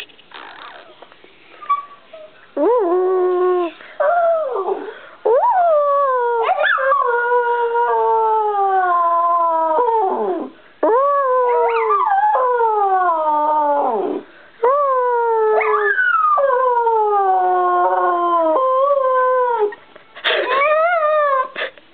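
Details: Brie the Bichon Frise sings a long sequence of mournful howls, each note bending downward, grouped into phrases of several seconds with brief silent breaths between them, ending on a high whine.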